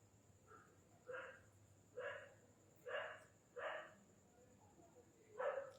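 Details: Indian desi (pariah) dog puppies, several together, as they are coaxed to come and sleep: five short, soft yelping barks spaced about a second apart, with a faint steady hum behind.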